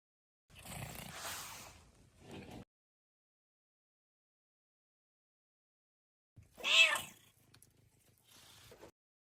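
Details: A domestic cat enjoying nature gives a rustly, breathy sound, then after a pause one clear, rising and falling meow with bright harmonics, followed by softer low rustling.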